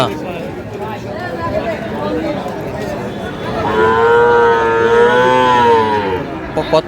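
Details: Small Sahiwal heifer calf offered at a Pabna market, 12/5/25: after a few seconds of crowd murmur, a strong, sustained moo of over two seconds with a gently wavering pitch, then a few sharp clatters.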